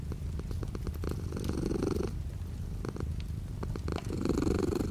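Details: Domestic cat purring near a rain-streaked window; a soft pulsing rumble that swells on each breath, accompanied by gentle rain hiss and scattered dripping clicks.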